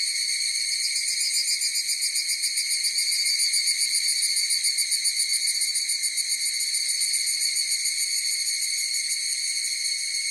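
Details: A chorus of higurashi cicadas: piercing, tonal, continuous ringing with a quick pulsing texture that swells slightly early on, then carries on level without pause, the insects the only sound.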